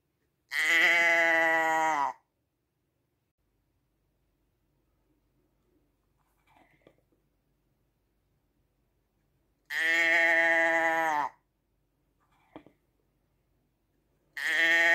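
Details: Sheep uttering repeated long bleats about nine seconds apart, each steady and resonant, with quiet rustling and a faint tap between the calls.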